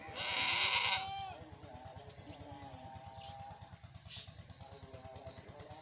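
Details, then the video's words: A goat gives one loud, nasal, wavering bleat lasting about a second, followed by a quieter stretch with a steady low thumping rumble underneath. "Goat sound"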